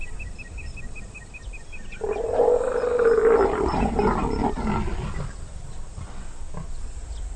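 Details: Wild leopards mating high in the broad branches of a sausage tree, an aggressive, very loud display initiated by the female; a harsh roaring snarl bursts in after two seconds and lasts about three seconds, over a steady repeated bird pipe and faint bird calls.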